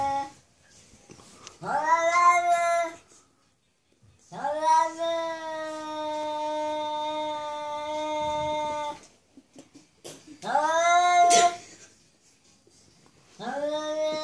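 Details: Domestic cat indoors 'talking' to another cat outside: long drawn-out harmonic meows, some held steady for several seconds, others short and rising, with quiet gaps between four calls.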